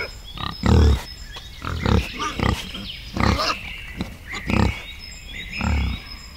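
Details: Forest wild boar with piglets grunting low and rough. Roughly eight short grunts are spaced about every second or less, over a soft background hiss.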